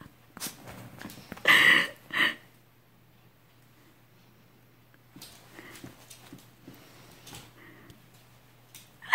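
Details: A Shih Tzu gives two short, sharp yips, then quieter snuffles over a low indoor hum.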